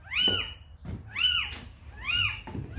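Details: A calico mother cat that carried a kitten into a house meows three times in under three seconds. Each meow arches up and then falls in a nasal, wavering tone, with soft room noise between them.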